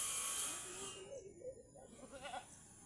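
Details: Mother goat in difficult labour, struggling to deliver her kid and being helped to pull it out; a low, quavering bleat wavers up and down for about two seconds after a burst of rustling noise.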